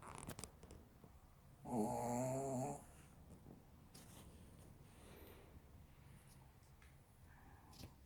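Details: A Maltese called Tteunteuni asleep and snoring in a quiet room: a single rough, buzzing snore of about a second near the start, then soft breathing and small rustles.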